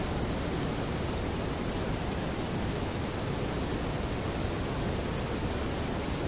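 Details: Male saddle-backed bush cricket (Ephippiger ephippiger) singing: about eight short, high-pitched scratchy chirps spaced a little under a second apart, over a steady background hiss.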